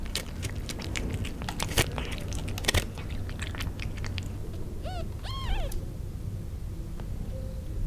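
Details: Newborn kittens in Istanbul huddling against their mother and crying to suckle: a short burst of three or four arched, harmonic mews rising then falling midway, set against clicking, chewing-like rustles indoors.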